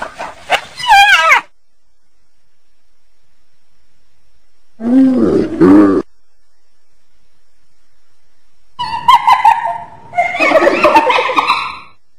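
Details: Hyena calls in bursts of rapidly wavering, cackling notes, a short squealing burst at the start, then a lower warbling segment, then a dense chattering outburst near the end, separated by silent gaps.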